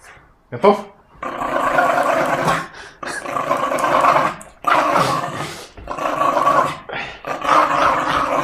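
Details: Tug of war with a short-tempered Jack Russell Terrier: long, harsh growls lasting one to two seconds each, repeated with brief breaks, a person's voice faintly mixed in.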